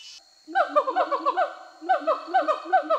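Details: Rehabilitated siamangs in Sumatra, free for over a year, sing a territorial song of loud, rhythmic rising and falling whoops. A confident male displays in a tree, warning that the forest is his, and the female behind him joins in support.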